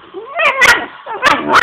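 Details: Angry pet dog during play with its owner, giving short harsh growling barks with tonal whine-like bands, two loud bursts within under two seconds.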